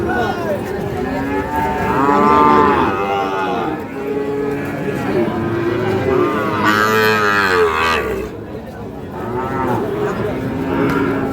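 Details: Several drawn-out, wavering moos from Sahiwal bull calves sound at intervals at the busy Ambari livestock market in Parbatipur, Dinajpur, Bangladesh, in March, amid constant human talk and market bustle.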